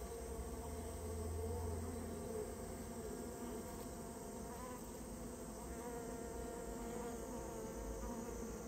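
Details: Rare Japanese honey bees from a colony nested inside a storehouse, being removed at the owner's request; a dense, steady low hum of many wingbeats with a droning pitch and faint overtones that continues unbroken throughout.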